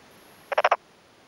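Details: A short burst of four quick, raspy pulses from a male black-spotted pond frog, vocal sacs on both cheeks swelling, calling in daytime from a newly puddled paddy in rural Yamaguchi, Japan, in early May, answering another male.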